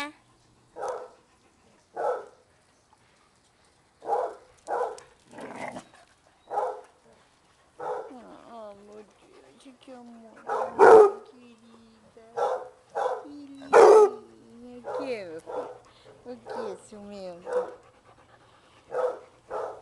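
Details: Basset Hounds partying and playing at a kennel devoted to the breed: short barks spaced a second or two apart, growing denser midway with overlapping woofs and drawn-out whining howls between them.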